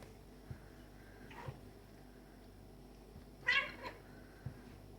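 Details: Tom, a black and white male cat, play fights with a stray male kitten; one loud, bright meow cry stands out after a softer call, amid light thumps and scuffles indoors.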